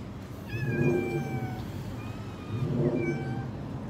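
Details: Many orange, white and black cats; two long, clear, slightly falling meows about two seconds apart stand out over a constant low rumbling background.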